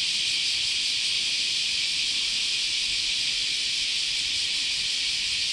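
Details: Cicadas massed in a Japanese summer chorus at Chionji Temple, Kyoto, producing an unbroken, steady high-pitched hiss that stays level throughout, with nothing else standing out.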